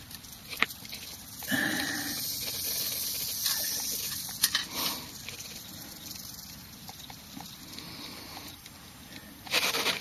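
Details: Prairie rattlesnake (Crotalus viridis viridis) in Kimball County, Nebraska, on May 17, 2009: a sustained dry, hissing buzz of the tail rattle that swells abruptly near the start, fades and surges in waves, then flares loud again at the end.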